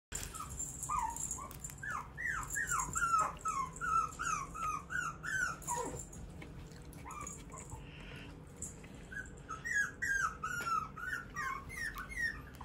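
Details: A small, curious female puppy whimpers in a run of short, falling, squeaky yelps, roughly two or three a second, pausing briefly midway before resuming, over a steady low background hum.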